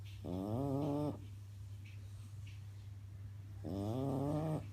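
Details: French bulldog snoring while asleep: two voiced, droning snores about a second long each, roughly three and a half seconds apart, with a steady low hum underneath and a quiet gap between breaths.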